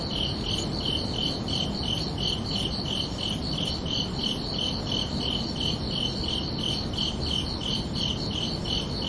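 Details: Summer-night crickets keep up a regular chirping rhythm, high pulsed notes evenly spaced about three per second, with a steady low background hiss underneath.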